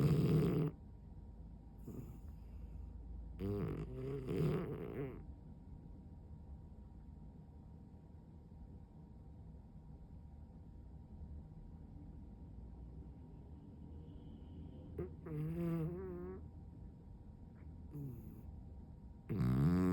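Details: French Bulldog in heavy sleep, legs flopped open and eyes rolled white, gives loud buzzing snores at the start and end, with quiet breathing, a few rattly snorts and a wavering whimper in between.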